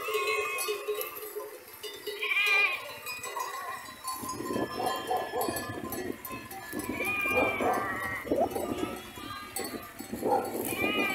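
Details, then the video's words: Grazing sheep herd with occasional quavering bleats, one early and more later on, over a steady jingle of bells and rustling movement. "Sheep Sound A herd of grass eaters - Sonido de las ovejas"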